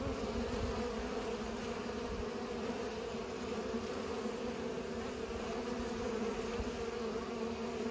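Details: Steady, slightly rough group buzzing of bees while pollinating, a low humming drone that barely changes in pitch or volume across the whole stretch.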